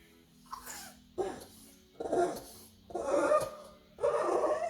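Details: A pug at night gives rough, grumbling whine-growls in bursts roughly once a second.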